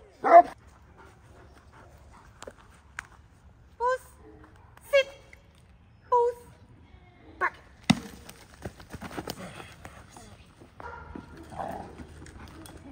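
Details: Cane Corso at Ivy League Kennel during a protection training day; a short loud opening burst, then brief harmonic whining yelps about once a second, followed by a sharp thud and rustling handling noise.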